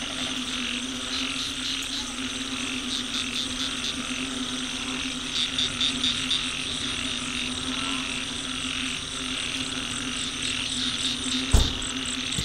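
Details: Frogs calling together beside a road, captured on an old smartphone; rapid clicking pulses repeat in clusters over a constant low hum, with a sharp knock near the end.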